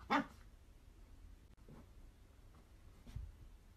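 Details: Miniature dachshund at play gives a single sharp, bright bark at the very start, then only faint low rustles and a soft thump in a quiet room.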